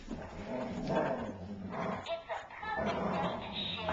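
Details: Great Dane tussling with a labradoodle over a stuffed toy bear indoors; rough, low growling and grumbling vocalisations in bursts, mixed with a person talking and background music.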